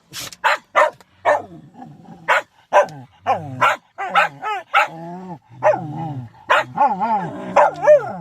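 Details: Shetland sheepdogs: a rapid run of sharp barks that turns into wavering, rising and falling yodel-like howls, several dogs overlapping.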